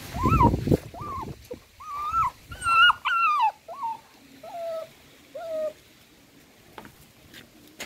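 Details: A frightened dachshund puppy nursing beside its mother whines in bent, tonal whimpers. Some are louder and higher, then they fade to softer, shorter cries, with a few soft thumps of movement near the start.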